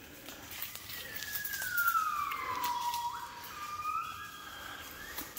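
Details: A gibbon sings in the jungle of Cat Tien, Vietnam, on 16 January 2023, giving a long descending whistled glide that levels out, followed by softer rising notes, with faint rustling.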